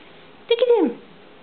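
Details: Vinny, a frisky male pet cat playing with his owner indoors, gives one short meow that rises and then slides downward. The room is otherwise quiet.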